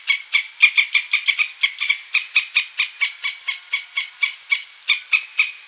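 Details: Squirrel giving a steady run of short, harsh, harmonic notes, about four each second, repeated evenly for several seconds in an otherwise quiet setting.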